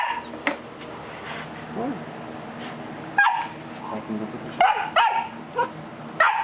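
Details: Buddy, a three-month-old Golden Retriever puppy, scared to come down a single step, barks at his people; sharp, bright yaps arrive irregularly about every one to two seconds among coaxing voices and faint music.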